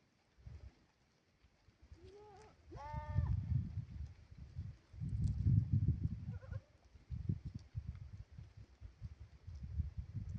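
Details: Goats out grazing: a short thin bleat leads into a fuller, quavering one, then a faint brief call follows a few seconds later. Dull rhythmic thumps and rustling from the feeding animals run underneath throughout.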